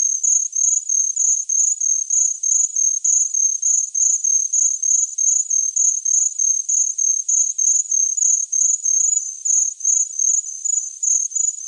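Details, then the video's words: Cricket chirping steadily: a narrow, very high-pitched trill broken into short pulsed chirps, roughly three per second, continuing evenly throughout with no other sounds in the background. "Chirping Cricket"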